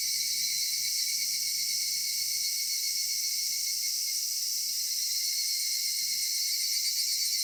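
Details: Evening in a summer cedar forest filled with cicada song: a continuous, even, high-pitched shrilling wall of sound with faint low rustling underneath.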